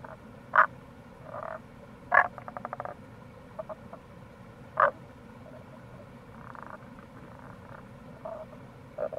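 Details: Tago's brown frog in April at a gorge on the Kamo River, Itoshima, Fukuoka: a few loud clipped croaks, one followed by a rapid ticking rattle, plus softer distant calls, with steady water rush throughout.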